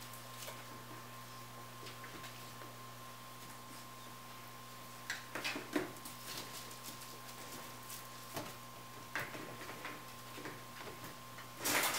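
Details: A quiet indoor room hum with scattered soft taps, scuffles and clicks, and no animal calls heard.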